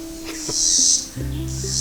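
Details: A cicada up in the woods gives a loud, hissing, high buzz in pulses, with a man's voice and background music.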